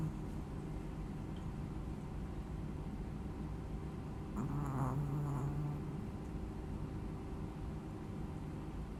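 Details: A Chihuahua snoring: a soft rasping snore swells for about a second near the middle, over a steady low rumble of background hum.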